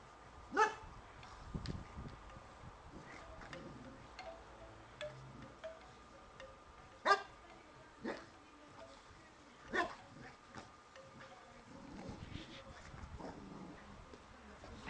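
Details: Boxer dog playing with a dog statue, barking at it: about four short, sharp, loud barks spread irregularly over fifteen seconds, with a few softer yips in between and a faint steady background hum.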